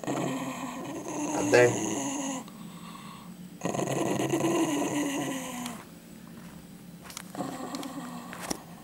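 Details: A dog guarding a chicken bone it won't give back growls in long rumbling stretches broken by pauses, with a woman's voice briefly audible between them.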